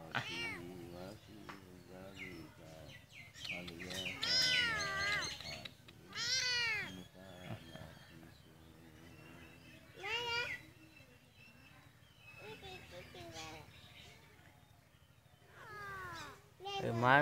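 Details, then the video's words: Cat calling in loud, arched meows every second or two, bursts of rising-then-falling cries between quieter gaps, with some Bengali talking underneath. "cat animals sound videos"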